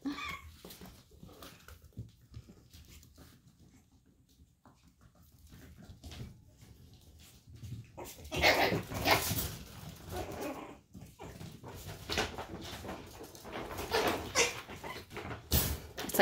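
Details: Chihuahua puppies from Daisy's litter showing sass with other dogs, a jealous sort of teasing; quiet rustling at first, then a burst of sharp, high yips and squeals packed closely together through the second half.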